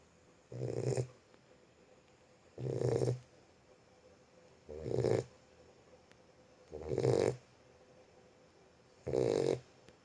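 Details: A sleeping Boxer puppy snoring, with five even, breathy rasping snores, each about half a second long and repeating roughly every two seconds over a faint steady background hum.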